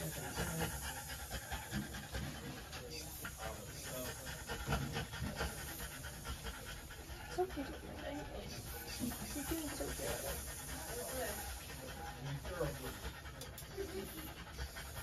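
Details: Female French Bulldog breathing in fast, hoarse pants throughout a trans-cervical insemination procedure, the rasping strokes running without pause under a low background hum and occasional soft speech.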